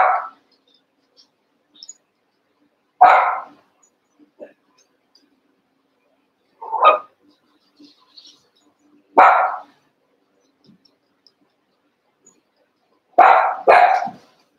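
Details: Cavalier King Charles Spaniel puppies, Daisy's six litter merged with Robin's two remaining pups, eight together at play; short sharp yaps come singly about every three seconds, ending in a quick double bark, with quiet gaps between.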